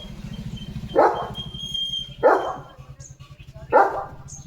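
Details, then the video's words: Pet German Shepherd calling for its mummy (owner) with three harsh single barks spaced roughly every one and a half seconds, over a continuous low engine-like drone and brief faint high tones. "German Shepherd कसा मम्मीला बोलवतोय – आवाजात काळजी!"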